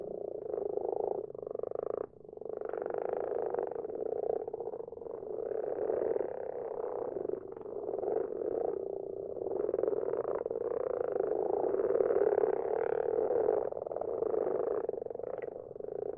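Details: A garden pond at night full of common frogs, whose numbers grow each year: an unbroken chorus of low, purring, pulsed croaks. Separate callers overlap and it briefly drops near two seconds.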